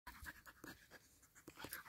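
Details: Husky eager for its owner's freshly caught fish, panting in quick breathy bursts about every quarter second, rough and broadband with a few faint higher squeaky tones; a voice says "leave" just after.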